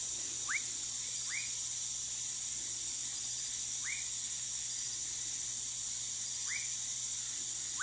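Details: A Woodcock or Whistling Frog (Leptodactylus fuscus) in Manaus, Amazonas, Brazil gives short, sharply rising whistles at irregular intervals of about one to two and a half seconds over a steady high insect hiss.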